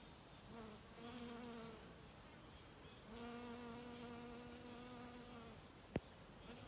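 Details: Honey bee workers foraging for nectar on mountain hydrangea. One bee gives a brief hum, then a longer one of about two and a half seconds, a steady low drone with overtones. A constant high insect hiss continues behind, and a sharp tap occurs near the end.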